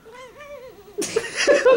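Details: A cat, shaken for fun, gives a wavering, warbled meow lasting about a second, its pitch bouncing up and down, followed by bursts of human laughter and giggling indoors.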